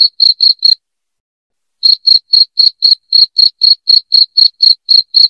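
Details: Cricket chirping loudly, played to chase rats away from a home: three quick high chirps, a pause of about a second, then a steady run of around fourteen sharp chirps at roughly four per second.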